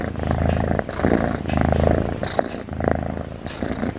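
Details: Cute cat snoring while it sleeps, a throaty pulsing low rumble rising and falling with its breathing, punctuated by short airy breaths roughly every second and a half.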